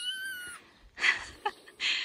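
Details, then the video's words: Three-week-old kitten Johnny, playing on his dad's shoulder, gives one high, thin meow that slides downward, followed by rustling and breathy handling noises. "Tiny kitten Johnny meows loudly at dad's shoulder"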